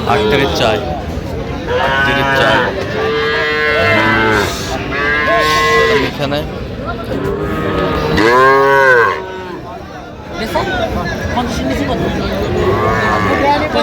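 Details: Young Sahiwal bull and heifer calves at a cattle market in Madaripur, Bangladesh, 13 January 2026, calling repeatedly: a run of arched, harmonic bawls, one after another about every two seconds, over steady market chatter and crowd noise.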